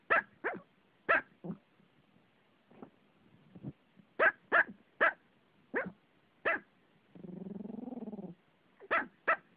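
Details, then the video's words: Pomeranian dog barking while standing on its owner, giving quick runs of short, shrill yaps in uneven bursts, with a longer wavering, whining note near the end before more rapid barks. "My Pomeranian Gino Barking"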